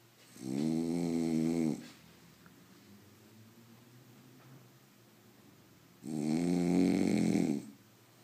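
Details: Sleeping French Bulldog gives two drawn-out, vibrating snores, each over a second long, about five seconds apart, with near silence and gentle breathing between them indoors.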